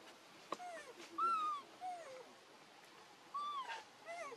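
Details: Baby monkey Leo crying and begging its mother for milk: about six clear tonal whines in four seconds, each arching up and then sliding down, some short and some drawn out, over a quiet background.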